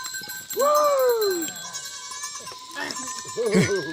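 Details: At a goat farm in the Uttarakhand jungle, India, a Himalayan goat gives one long, arching, drawn-out bleat that slowly falls away, then shorter, trembling bleats follow amid a steady hum.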